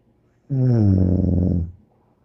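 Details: One long, low snore from Bear, a dog, rough and buzzing and just over a second long, sinking slightly in pitch before fading into quiet.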